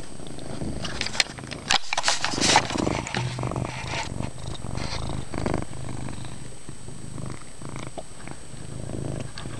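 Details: Chase, a pet cat, purring loudly indoors in a dimly lit room after a flea treatment; a steady low rumble pulses throughout, broken by scratchy rustling and a few sharp clicks early on.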